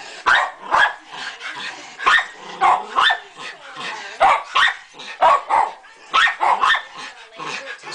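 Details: A dog in a yard barks at a bunny on the lawn in sharp, excited bursts, several per second at times, with brief pauses between.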